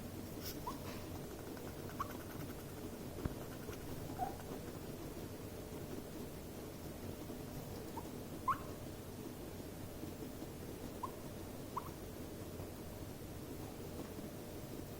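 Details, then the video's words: Two guinea pigs in a stressful, escalating encounter: short, high squeaks, rising and faint, scattered irregularly every one to four seconds over a steady low background hum. "Meerschweinchen: Stress-Quieken, Zähne klappern und Eskalation!"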